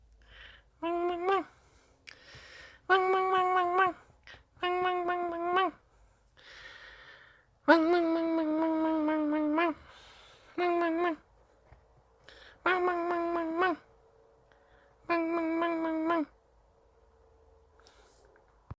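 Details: Whining Dachshund wanting play inside a small room: about eight long, even, humming whines of one to two seconds each, one stretching longer mid-way, with sniffing breaths and quiet background between calls.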